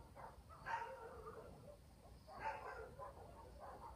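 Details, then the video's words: Two distinct barks from a dog in a village at night, nearly two seconds apart, each a short broad yelp, with a quiet rural hum and faint night chorus behind. "barking dogs in the village"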